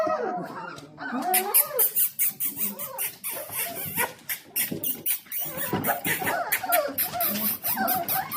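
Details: Litter of four-week-old Dalmatian puppies impatiently waiting for dinner: high squeaky whines and yelps overlap with sharp clicks and rustling, rising and falling in short bursts.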